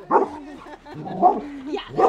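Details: Dog barking at the postman: three short, harsh barks about a second apart, with a thin whine between them and people nearby, followed by laughter.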